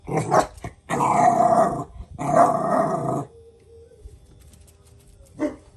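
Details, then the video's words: Jack Russell Terrier Paris disciplining her son Oscar: long, loud, harsh growling bursts, three of them back to back, then quiet with a faint hum and one short bark near the end. "JACK RUSSELL PARİS OĞLU OSCAR’A DERS VERİRKEN"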